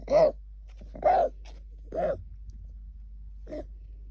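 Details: A female English Cocker Spaniel puppy gives harsh, honking coughs about one a second, a symptom of kennel cough, from which she has since recovered.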